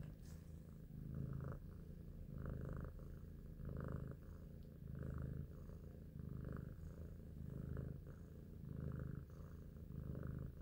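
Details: Big Shoes, a pet cat described as cute and intelligent, purrs while thinking; deep continuous rumbling rises and falls with each breath, about one swell every second and a bit, in a quiet room.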